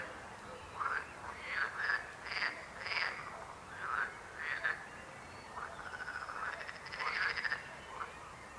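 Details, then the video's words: Several frogs croaking with rasping, pulsed calls. A higher, trilling buzz joins toward the end. "Rechot żab. Croaking frog sound."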